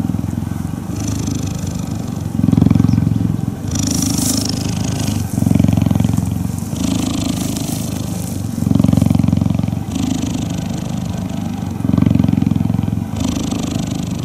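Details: Cuddling cheetah purring, a deep pulsing rumble that swells and eases in alternating stretches of about one to two seconds as the animal breathes in and out, with brief rustling bursts at higher pitch.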